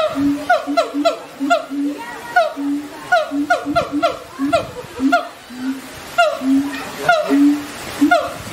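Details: Siamang gibbons calling in a rapid run: steady low hooting notes alternate with higher, harmonic-rich notes that slide downward, repeating several times a second in dense overlapping bursts.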